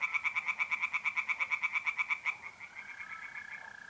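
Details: Singing tree frogs at a pond on an April night in north-east Italy; a fast string of sharp, evenly spaced croaks breaks off midway, leaving the smooth continuous trilling of mole crickets.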